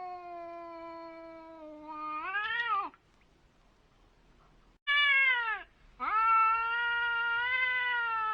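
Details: Cats meeting face to face trade drawn-out wailing cries, held tones that swell upward and break off, then after a pause resume with sharp rising howls into a sustained moan.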